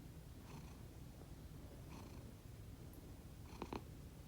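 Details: Pet cats asleep indoors, making a sound unlike their usual purring: soft, low breathy snores, a faint swell roughly every one and a half seconds over a steady low rumble.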